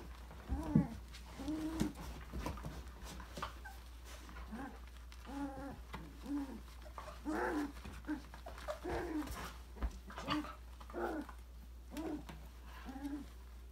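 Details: A December 2020 litter of Australian Labradoodle puppies, aged five weeks, play indoors in an enrichment playground. Repeated short, high whimpering yelps come roughly every second over a low background hum, with occasional knocks.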